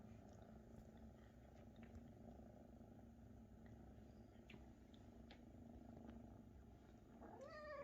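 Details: Maine Coon kittens purr as their mother Luna feeds them; a steady low purr continues throughout, scattered soft clicks, and a brief rising meow at the very end.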